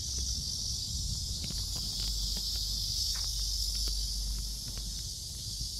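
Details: Cicadas in Seoul Innovation Park on July 11, around 11 am, during a walk: a steady, dense, high-pitched shrill drone with no breaks, plus faint low rumble and scattered footstep clicks.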